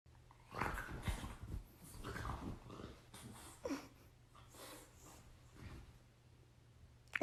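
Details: Indoors, an irritated female dog answers her brother's attempts to play with harsh growling and snarly bursts in uneven clusters, while a person's voice is heard at times.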